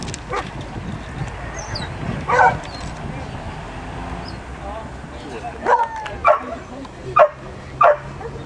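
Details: Scottish Terrier named Dartagnan at an agility championship, giving a single bark near the start, then four short, sharp barks spaced under a second apart toward the end, over a steady background hum.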